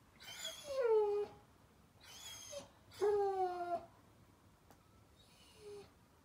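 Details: German Shepherd puppy Daisy crying at bedtime, recorded 15 May 2021: three drawn-out whines, each sliding downward, then a fainter fourth whine, with quiet room noise between.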